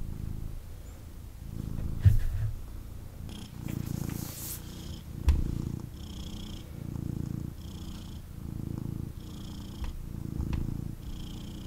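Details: Male kitten purring intensely as it snuggles in its owner's arms indoors; deep, rhythmic rumbling purr pulsing about once per second, with occasional rustles and handling bumps and a short hissy fabric sound near four seconds.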